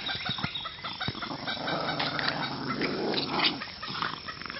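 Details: Stella and Penny, two Boston Terriers, locked in a tug of war game in June 2013; a sustained rough growl swells and fades over a few seconds amid sharp taps and scuffling.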